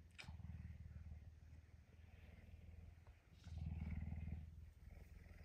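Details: Pet puma, hungry and wanting breakfast, awake early and affectionate on a Tuesday morning at home. It makes a steady, deep rumbling purr, pulsing about four times a second, in two long swells with a short pause between them.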